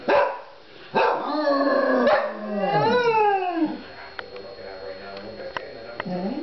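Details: Two domestic dogs howling in unison: wavering, bending howls that rise and fall in pitch, loud at first and then fading into softer, lower moans toward the end.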